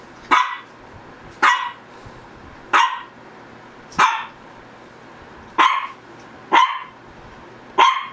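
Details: Shih Tzu dog, Ggung or Ssong, barking steadily, seven bright, slightly drawn-out woofs spaced a little over a second apart against a low steady background hum.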